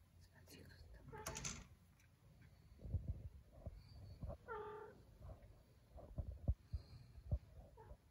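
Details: A domestic cat gives one short, harmonic meow in the middle of the clip. An earless cat is paying a night visit to another cat named Gremlin indoors. Soft rustling, thumps and faint murmuring are also heard.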